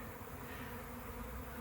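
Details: Swarm of honey bees in a back yard, growing excited just before capture into a hive; a quiet, steady low hum with even droning bands, no breaks, muffled and soft throughout.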